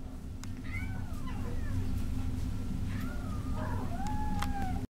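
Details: Domestic Shorthair cat at an adoption shelter, giving several soft rising-falling meows over a steady low hum, with faint clicks in the background.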